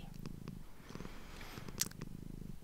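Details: Domestic cat, a female, purring for a close-up ASMR microphone recording: a steady, low, rapidly pulsing rumble throughout, with a few soft clicks and a brief sharp tick near the end.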